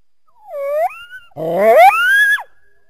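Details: Coyote heard through trees from a backyard on a winter day: a short, smooth, rising whistled note, a brief pause, then a rougher howl that climbs in steps to a high held tone and ends in a quick downward fall.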